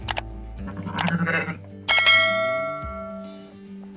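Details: Ewes reunited with their lambs bleat in quavering, nasal bursts with a tremble in the voice, followed by a clear, sustained ringing tone like a bell that fades away.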